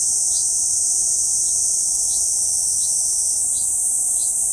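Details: Kuroiwa cicada calling from a banyan trunk, central Okinawa Island, Japan, 11 June 2023: an unbroken shrill high-pitched trill that rises slightly near the end, with soft short chirps at intervals behind it.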